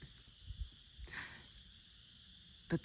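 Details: A distant chorus of spring peepers in spring woods along the Manistee River, northern Michigan, gives a steady, high shimmer of peeping, while a hiker speaks briefly and footsteps crunch on the trail.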